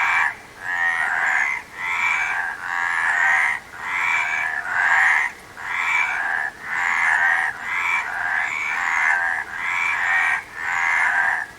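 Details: Frog calling in a steady series of pulsed, raspy croaks, each lasting about a second with short gaps, roughly nine in twelve seconds, with a faint hiss beneath.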